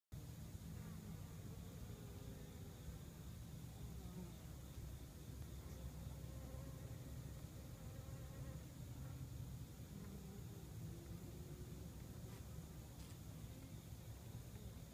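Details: At an active hive, Western honey bees (Apis mellifera) fill the air with a steady, low, droning buzz from many wings at once.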